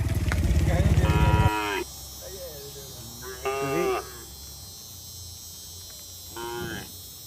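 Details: Herd of cattle roaming along a road: a loud low engine rumble fills the first second and a half, then three harmonic moos follow at spaced intervals over a steady background hum.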